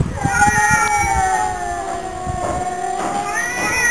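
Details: Pet cats in a duet, a long level moaning yowl slowly sinking in pitch, then a rising wail at the end, with soft knocking and rustling noises underneath.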